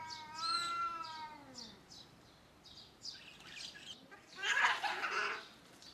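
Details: Cats fighting while defending their territory: a drawn-out, harmonic yowl that wavers then falls in the first second, followed by a harsh spitting hiss burst, with steady bird chirps behind.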